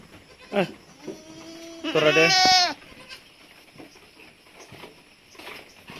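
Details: Bleating goat at Terra Grande Farms, Negros Occidental, Philippines, recorded during the weaning of goat kids: a brief cry, then a loud, rising, harmonic-rich bleat of about a second, ending in a sharp knock, then quiet.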